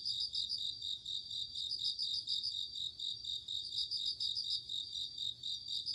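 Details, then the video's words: Night insects of autumn, crickets, give a continuous shrill ringing chorus, bright pulsed trills rising and falling in short waves over a faint low background hum. "鈴虫 夜の虫 虫が鳴く夜の雰囲気 コオロギ 秋"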